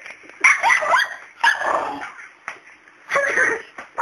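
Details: House dog barking at the family cat indoors: three loud yapping barks spaced roughly a second apart, each with a whiny, tonal edge, then a brief fourth yelp at the end.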